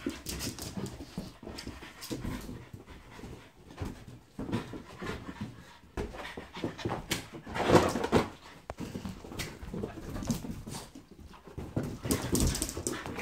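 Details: A French Bulldog at play with a balloon pants and snuffles rapidly and almost without pause, with louder rough bursts around eight and twelve seconds among the steady breathy huffing.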